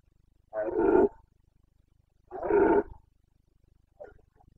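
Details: Carpathian red deer stag roaring during the autumn breeding season in Bucovina, Romania, 29 September 2022: two loud, harsh, throaty bellows about a second long each, then a short fainter grunt.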